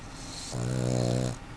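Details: Sleeping puggle letting out one loud snore: a single low, droning, buzzy inhalation lasting under a second, rising in and fading out abruptly in a quiet indoor room.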